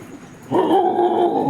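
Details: Pet dog named Lalu, indoors while being coaxed to bite a pocket. After half a second of quiet, a steady, loud, nasal whining tone starts and holds, wavering slightly in pitch until the end.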